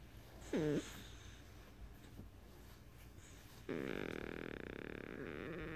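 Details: Beagle (Canis familiaris), purr-like grunt.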